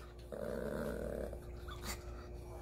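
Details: Pet Maltese Dubu, fed cucumber, boiled cabbage and pear yet still pleading beneath the table at mealtime; one drawn-out, tonal moaning vocalisation about a second long, like talking back, then a woman's Korean speech.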